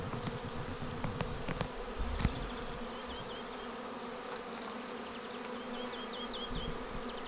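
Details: Swarm of honeybees arriving at a swarm trap (bait hive) on 19 May 2021 and going straight in. A continuous buzzing drone throughout, with a few knocks early on and small chirping birds in the background.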